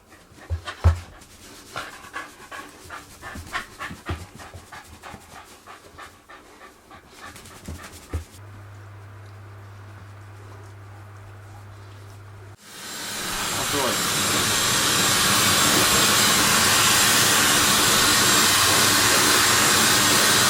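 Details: White Shiba Inu being blow-dried after a carbonated bath, panting in quick regular breaths for about eight seconds, followed by a steady hum and then the loud rushing roar of a hair dryer.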